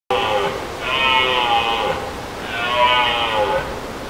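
A red deer gives drawn-out, nasal, bleating calls, each about a second long, with short pauses between.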